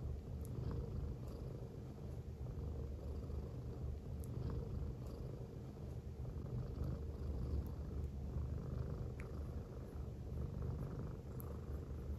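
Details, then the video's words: A female silver tabby American Shorthair cat purrs steadily while lying on a person's belly, a low continuous rumbling hum. "Affectionate American Shorthair Cat Purring On My Belly"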